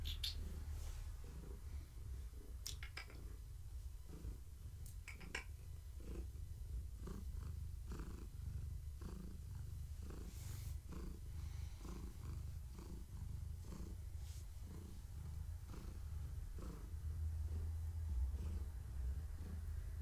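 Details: Long-haired tabby cat, pregnant with kittens, purrs as she is petted and scratched during an evening activity check; a continuous deep rumble with rhythmic pulses, occasional faint clicks and rustling.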